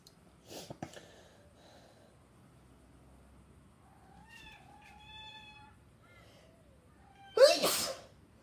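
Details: Black cat giving a drawn-out, harmonic meow that rises and falls in the middle of the recording, with a sharp sneeze-like burst near the end and a few faint clicks at the start.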